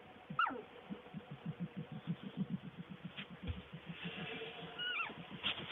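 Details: Skunk: a steady, fast, low pulsing chatter that continues throughout, with a few short, sharp squeaks sliding downward above it.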